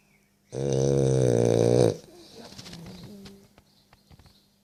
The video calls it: French bulldog jack snoring